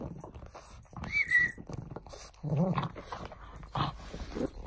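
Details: Frank the pug, busy playing with a bone, gives a thin high whine that rises and falls briefly, then a short low harmonic grunt, amid scuffling, chewing noises and quiet human voices.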